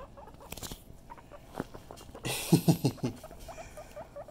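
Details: Pet guinea pig playing with his ball: low, quiet rumbles, then a quick cluster of three or four louder short grunts with scuffling and patter from the ball.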